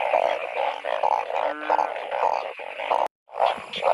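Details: Narrow-mouthed frogs chorusing in heavy rain as they are hunted by torchlight. Rapid overlapping bleats, roughly two a second, with one drawn-out honking croak and a brief cut in the sound near the end.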